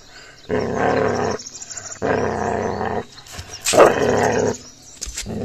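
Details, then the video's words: Gaddi dog puppy showing aggression while attacking another dog: long rough growls of about a second each, separated by short pauses, with a sharper snarl or bark burst near the middle. "Puppy Aggression | Gaddi Dog Pe Attack Kiya | Dog Fight"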